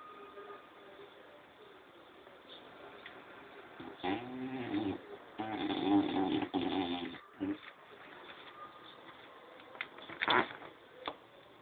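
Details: A French Bulldog snores in rough, rasping bursts near four, six and ten seconds, with softer breathing noise in between and a quiet room behind.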